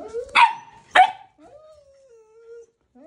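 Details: Balto, a puppy, will not leave older husky Max alone and keeps urging him to play with a toy chicken: two sharp yelping barks half a second apart, followed by a long, thin, wavering whine.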